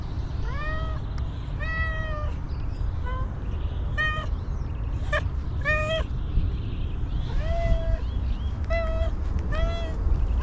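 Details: Stray homeless she-cat, very hungry after going long without food, giving a run of short, bright harmonic meows, some drawn out and some clipped, about eight in ten seconds against constant low-pitched background rumble.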